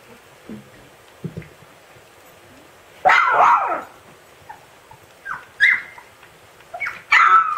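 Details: Young Siberian Husky yelling at its littermates, giving soft early yips, then a loud strained yelping cry lasting about a second, followed by sharper high yips and a final loud cry.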